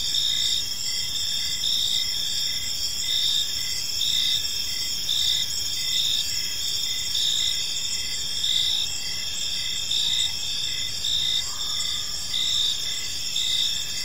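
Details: Crickets chirping through an evening in a park, steady high-pitched ringing trills with pulsing bursts repeating evenly, many callers blended together, faint low ambient noise.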